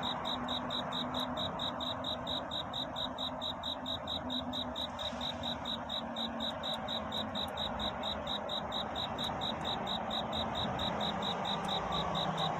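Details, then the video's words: Cricket calling for a mate through the night into dawn. Its even train of sharp, high chirp pulses continues throughout, with a steady hiss and a faint low hum underneath. "귀뚜라미 울음소리. 슬퍼 말아요 우는 것이 아니라 사랑을 찾는 노래랍니다 구애의 밤"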